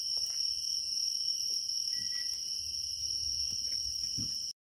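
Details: In early autumn in Naju, grass insects sing in a steady, shrill chorus of continuous high trills layered at several pitches.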